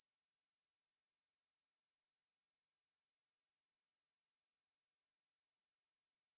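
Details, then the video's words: Ruspolia katydid singing a steady, unbroken high-pitched buzz that holds one very high pitch the whole time. No other sounds. "매부리, 여러번 듣기, 곤충소리"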